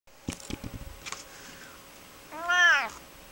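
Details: Hermy, a gentle, sassy pet cat adopted with her sister Myrtle, known for complaining loudly when upset, gives a single rising-falling harmonic meow indoors after a few soft clicks and taps.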